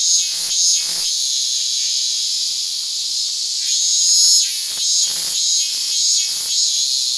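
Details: Japanese cicadas of the subspecies Hyalessa maculaticollis fuscata on a hand, August 8, 2022: loud high-pitched droning buzz throughout, with repeated crackling pops scattered across the recording.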